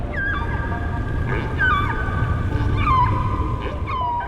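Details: Whale song during mating season: drawn-out tonal moans that slide up and down, sung to attract and impress females.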